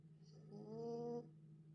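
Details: Dog snoring in deep sleep following a dog park outing: one nasal, whistle-like exhale lasting under a second, smooth and even, with a faint low room hum beneath.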